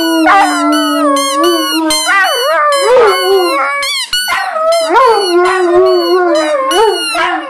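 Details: Group of Irish wolfhounds in a howling chorus; a sustained low tone runs under higher wavering howls that swoop up and down, with a brief break near four seconds before the voices resume together.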